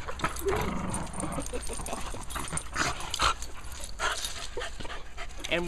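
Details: Dogs playing together in a backyard: Gizmo, a puggle, Luna, a black chow mix, and Charlie, a Jack Russell/Border Collie mix. Short broad barks and whimpers break through a person's steady talking.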